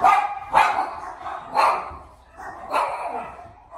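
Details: Havanese puppies exploring upstairs indoors, giving high-pitched yapping barks in four bursts about a second apart, each a short sharp yelp with a slight tail.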